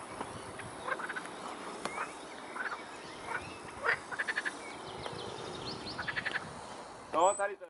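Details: Edible frogs calling from a stream entering the Svratka river by a cycle path, Brno-south, Czech Republic; quick rattling pulse trains of croaks repeat irregularly, ending with a louder, higher sound.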